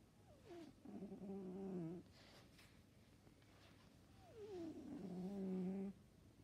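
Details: Siberian cat snoring, giving two voiced, nasal breaths about four seconds apart, each opening with a short falling glide and settling into a steady, buzzy low drone of roughly one and a half seconds, over a quiet background hum.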